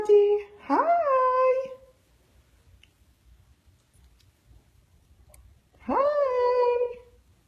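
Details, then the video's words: Two long vocal yawns from a Siberian Husky puppy, each rising quickly then holding a sustained harmonic tone near one second, separated by a few seconds of near silence. "A husky puppy yawning"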